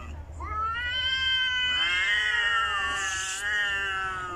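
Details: Angry domestic cat growling at another cat: a long, drawn-out wailing yowl that rises and swells, sliding through harmonics for over four seconds; a woman calls softly in Filipino in the background.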